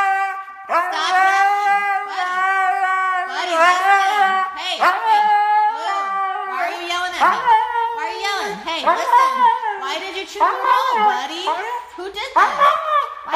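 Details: Husky screaming loudly indoors, one of several funny huskies: a near-continuous run of harmonic, wavering yowls, each ending in a downward slide, delivered in rapid, uneven bursts.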